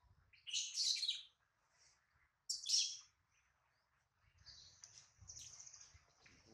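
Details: Crying baby monkey Adler, missing his mother and hungry in a small monkey's hands: two loud, harsh high shrieks about two seconds apart, then a long thin wavering whine.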